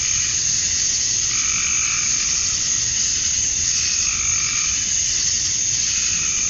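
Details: Summer-night cicada chorus at dusk in Georgia, USA, males calling for females: a steady, shrill wall of buzzing that never lets up, with a few brief lower calls rising out of it.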